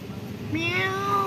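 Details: Timid black cat living at a pagoda, afraid of people yet speaking softly: a single drawn-out meow that rises slightly, then holds a steady, gentle tone over a faint low background hum.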